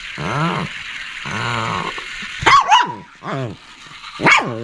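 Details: Shih Tzu barking and growling: several harmonic, groaning barks that rise then fall, with two sharper, noisier yelps in between, over a faint high background hum.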